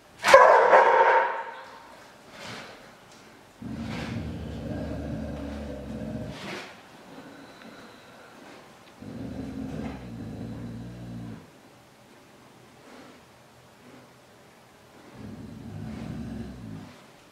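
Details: Dog protecting its food from a hungry tiger cub: a brief high yelp at the start, then three low, rattling growl bouts of two to three seconds with quiet between them.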